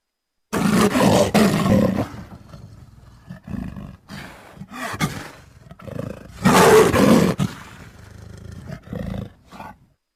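A leopard gives deep, rasping roars, with two long loud bursts and shorter grunts between them.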